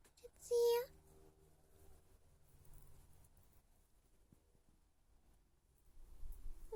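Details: A male domestic cat gives one short, steady meow that sounds strained, squeezed out while yawning as he comes after being called.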